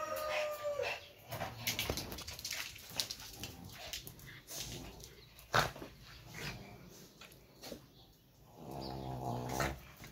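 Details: Pomeranians Pomo and Fucche playing together indoors: scuffling and rustling broken by short growly bursts, then a drawn-out, wavering whine-growl near the end.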